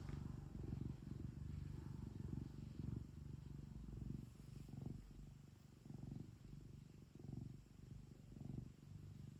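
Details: House cat purring indoors, a continuous low throbbing rumble with regular swells in loudness as it breathes in and out over about nine seconds.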